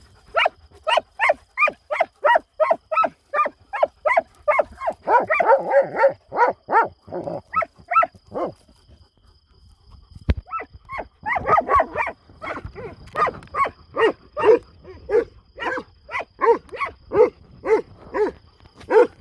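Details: Kangal dogs left unchained at night on a farm, attacking during a night hunt: rapid continuous barking, several dogs overlapping, a brief pause midway, then steady repeated barks resuming at a fast pace.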